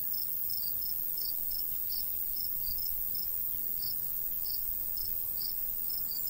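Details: Crickets in summer countryside by a golden wheat field, a light breeze blowing; short high chirps pulse steadily, often in quick pairs, over a constant high insect hiss and low breezy rumble.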